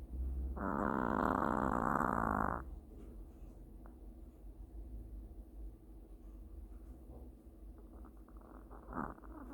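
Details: Sleeping long-haired Chihuahua giving a mild snore: one loud, buzzy, rattling breath lasting about two seconds, then a long stretch of near silence with faint rustles and a small noise at the end.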